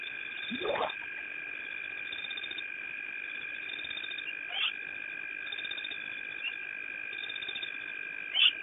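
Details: Spotted hyena at Petes Pond, 6/06/09: one loud whoop sweeping steeply upward from low to high pitch near the start, then faint short calls later, all over a constant high droning chorus.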